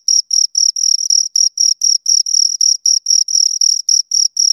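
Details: Shrill, high cricket chirping from two insects, short bursts alternating with drawn-out trills at a quick, steady pace, no other noise present.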